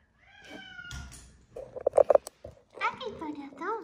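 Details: Short meows from Atom, a small-bodied boss cat possibly bitten by a snake, come through close by. One is a level, harmonic-rich cry at the start, and wavering curved cries follow near the end. People talk and handle things between them.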